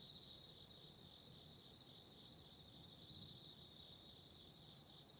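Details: Autumn insects singing near a relaxing candle flame: a faint high ringing background, then a loud, sharp, high trill bursts in for over a second, pauses briefly, and returns for a shorter burst, with a quiet low crackle underneath.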